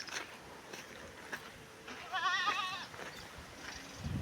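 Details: Gavran breed goat buck at a goat farm in Parola, Jalgaon district, Khandesh; one wavering, quavering bleat about half a second long midway through, amid low rumbling background noise and faint clicks.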